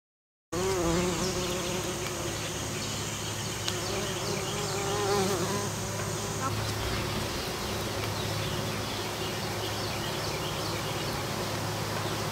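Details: Western bumblebees foraging and pollinating an American Basswood tree, flying with a forward-rearward wing motion; droning buzz that wavers up and down in pitch, rising and falling as bees pass, over a steady low hum and faint high background ticks.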